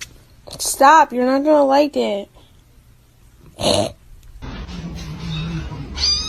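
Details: Domestic cat in a funny cat compilation, giving one long drawn-out meow with a wavering, quavering pitch lasting over a second, followed by a short sharp noise and low room sounds.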